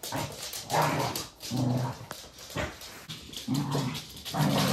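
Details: A Corgi gives deep, grumbling growls in uneven bursts, about four in under five seconds, with a few sharper clicks and rustles between them.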